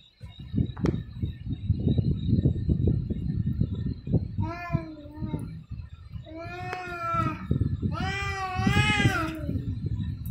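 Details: Cats fighting: low rumbling scuffles and thuds, then drawn-out wavering yowls that grow louder and higher, ending in a strained screeching wail.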